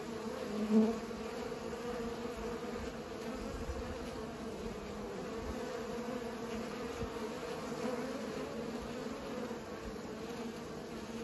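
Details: Pollinating bees make a continuous even buzz, a smooth low drone with a higher overtone above it, fairly quiet and steady, with one brief louder knock near the start.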